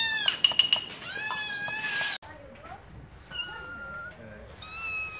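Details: Attention-seeking kittens give a burst of stuttering, high mews and a long wavering meow, then after a sudden cut, softer drawn-out calls at a steadier pitch.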